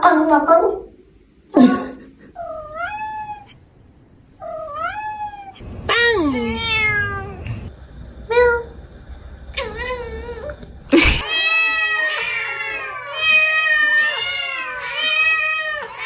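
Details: Cat meowing repeatedly in short, rising-then-falling, nasal notes with long pauses between. The last five seconds become a loud, dense, continuous wailing meow.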